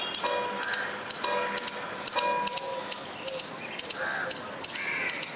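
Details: Squirrel making noise for no apparent reason, giving sharp high-pitched chirping bursts about twice a second, each a quick double click, with faint bird notes and a soft whistle underneath.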